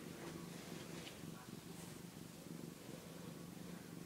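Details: Domestic cat purring while lying on a doll crib indoors, a continuous low rhythmic rumble pulsing about four times a second, with faint rustling.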